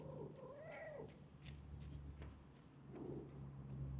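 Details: Stray cat in a park running up on seeing a familiar face, giving a drawn-out meow that rises and falls, then a shorter second call near the end, over a steady low engine-like hum.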